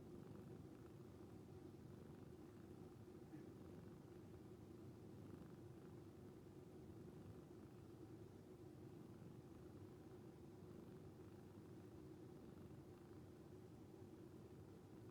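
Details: Rescued calico Moko dozes next to Nyantora, purring in her sleep like snoring: a continuous low, gentle rumble lasting the whole stretch at low volume, with a faint background hiss.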